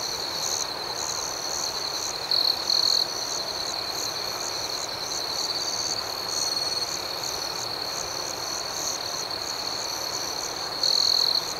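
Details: Crickets at night in a calm outdoor setting, a steady high-pitched chorus of rapid chirping with a continuous trilling band and fainter pulsed calls above it, briefly louder bursts near two and eleven seconds.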